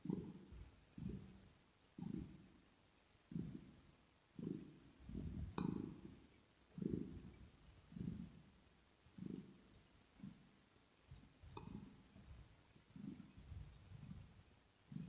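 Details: Kitten purring smoothly while grooming, recorded ear to ear. Deep throaty rumbles rise and fade in a steady breathing rhythm, about fifty swells a minute, with occasional soft licking clicks.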